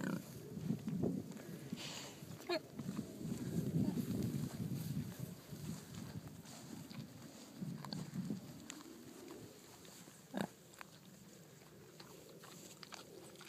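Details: Docile purebred Kunekune pigs out eating grass and coming up to the person: deep rumbling grunts in uneven bursts through the first eight seconds, a few sharp clicks, then quieter with scattered snuffles.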